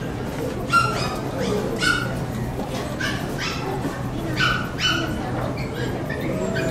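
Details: Poodle barking at the Saitama West Honey Poodle Club section show on 9 June 2008: four high, sharp yaps spaced about a second apart, over steady indoor crowd chatter and a low hall hum.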